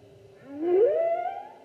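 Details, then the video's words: Humpback whale song, 2016 season: a single loud upsweep that rises smoothly from a low moan into a higher held tone with bright harmonics, lasting about a second. "Humpback Whale Season 2016--Photos and Whale Song"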